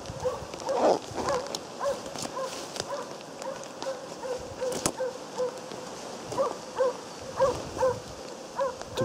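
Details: Moose-hunting Jämthund named Otis barking persistently: clear, mid-pitched barks repeated about once or twice a second in uneven bursts, carrying over a background of rain-like noise and occasional knocks.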